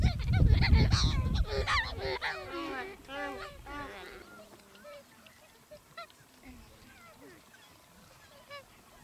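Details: Wild gelada baboons, Simien, Ethiopia, between October and November 2015; a loud burst of many overlapping harmonic, bending calls in the first four seconds over strong wind, then sparser, softer calls fading out.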